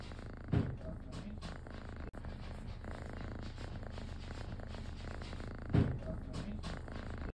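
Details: Kitten enjoying a scratch, giving a steady low purr throughout, with two brief louder bumps or thuds breaking in near the start and toward the end.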